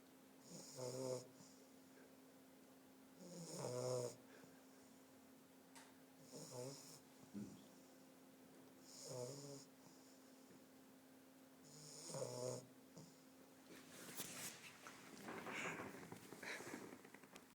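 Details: A sleeping English bulldog puppy snores in rough, rattling breaths that repeat roughly every three seconds.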